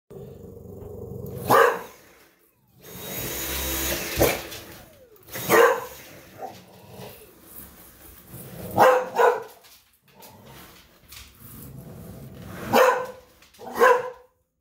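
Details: Hazie, an English Bulldog, barking indoors at a vacuum cleaner: short harsh barks come in scattered bursts, some doubled, with gaps between, over a low hum of the machine running in the background.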